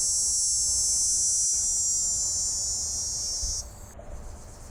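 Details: A dog-day cicada sings a steady, high, whiny drone with no audible pulsing, its timbals vibrating too rapidly to hear any vibrato, then stops abruptly.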